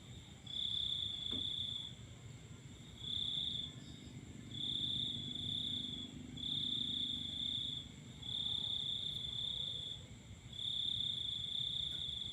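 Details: Cricket singing at night under a full moon: a steady high-pitched trill in long bursts of about one second, repeated with short gaps, over a faint constant higher whine and low background rumble.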